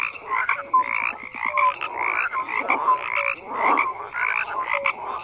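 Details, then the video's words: Frogs croaking as a group, rough trilled croaks rising and falling in loudness while short pure notes pop out between them, continuous and dense. "FROGS CROAKING"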